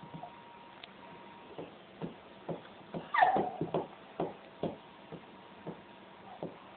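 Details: Fern, a pet English Springer Spaniel being funny indoors, breathes in soft regular puffs, broken midway by a brief high whine that slides downward, then the puffing resumes.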